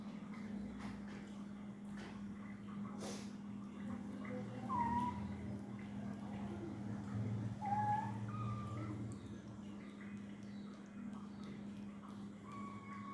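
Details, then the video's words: Domestic cat giving short rising-falling meows around 5, 8 and 9 seconds and again near the end, over a steady low electrical hum with faint background voices. "cat mow"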